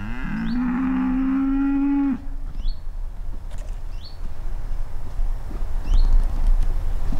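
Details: Horned cattle on a rural pasture that bellowed half the night and again in the morning. One deep, steady bellow of about two seconds, then wind-like outdoor noise with small birds chirping faintly.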